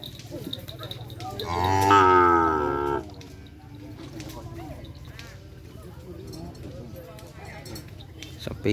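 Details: Madura cattle, a newly arrived racing bull at a first training run for kerapan sapi bull racing at the Asemanis field; one loud, harmonic moo of about one and a half seconds, with people talking and low background rumble.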